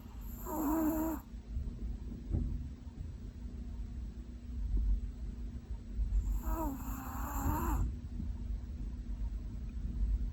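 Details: Sleeping Pomeranian Korosuke, a retired breeding dog, snoring loudly enough to be likened to Godzilla's roar: two long, groaning, tonal snores near the start and around six seconds, with low rumbling breaths between them in a quiet room.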